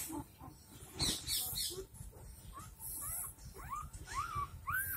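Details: Dogo Argentino puppies just four days old, Delhi NCR, a pirate male and a pure white female: soft scattered squeaks at first, then a closing series of rising-and-falling whimpers, one about every half second, over light handling noise.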